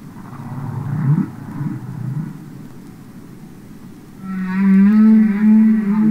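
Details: Underwater song of a humpback whale from a recording of real whales: rough low grumbles first, then after a quiet gap a sustained, slightly wavering moan rising in strength with bright harmonic overtones.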